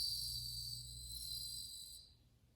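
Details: Bell crickets recorded in August 2020 give a high, glassy ringing trill over a faint low hum, and the song fades out after about two seconds.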